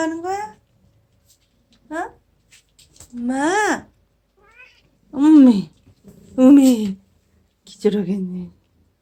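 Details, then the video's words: Aegi, rescued from four wild kittens in summer 2018, plays outdoors with its siblings and comes in at night, here calling "eomma" indoors: six loud meows in irregular succession, several arching up then down, a few short. "내귀에 "엄마" 라고 말하는 냥이"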